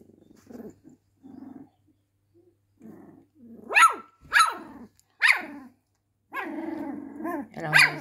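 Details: A domestic dog inside a home: soft low grumbles at first, then three quick, loud barks, then a longer wavering whine ending in one more sharp bark.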